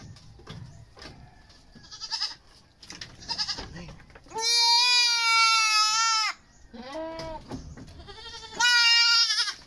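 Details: Goat during deworming ahead of weaning: rustling and handling noises, then a long two-second bleat, a shorter wavering bleat, and another sustained loud bleat near the end.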